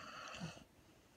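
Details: A female Redbone Coonhound, 1½ years old, gives one brief, rough, breathy snore while sleeping, fading into quiet; Syracuse, NY, February 6, 2017.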